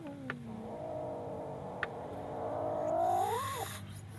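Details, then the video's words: A frightened kitten gives a long, low, moaning growl that holds steady and then swells and rises in pitch near the end before breaking off, with a couple of faint sharp clicks early on. "This baby cat roars in fear"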